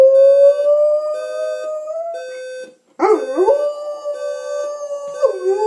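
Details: Junior, a pet dog, howls at a ringing alarm clock. A long, slightly rising sustained howl gives way after a short gap to a wavering, swooping howl over the continuous electronic alarm tone.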